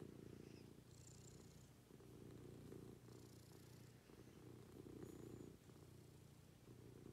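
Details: Cat purring at home in the morning, a deep vibrating purr pulsing in repeated breath cycles of about a second, with soft high whistly tones faintly in the background.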